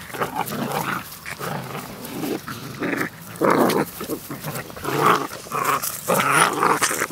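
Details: Several puppies play fighting outside, growling in short rough bursts roughly every second, some rising into yappy snarls, with scuffling between.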